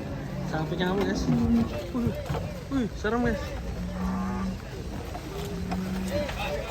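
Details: Agitated Ongole crossbred cattle coming down from a truck give low, steady, drawn-out moos, partly buried under loud, overlapping shouting voices.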